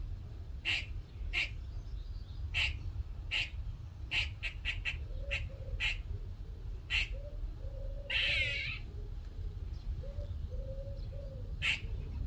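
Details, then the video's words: Little squirrel calling in a workshop one morning: about a dozen abrupt clipped chips spaced roughly half a second to a second apart, with one loud grating rasp midway and soft faint low notes, over constant low rumble. "squirrel making noises"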